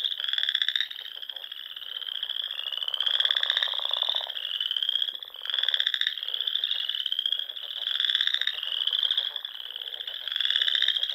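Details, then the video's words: Nebraska Sandhills frogs singing in spring at dusk near small lakes; many callers form a high ringing trill, punctuated by regular pulsed bursts about every two seconds, with a short lower rasp. "RELAXING SOUNDS OF FROGS"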